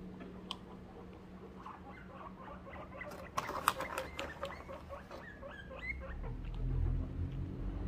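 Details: Guinea pig in a Christmas-themed recording, making a run of short squeaks and small upward chirps, busiest midway, with a constant low hum and rustling noise toward the end.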